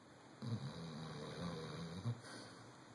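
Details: A chocolate Labrador Retriever asleep gives one drawn-out, deep, throaty snore lasting almost two seconds, a low buzzing rumble that starts and ends with short louder snorts over a faint background hum.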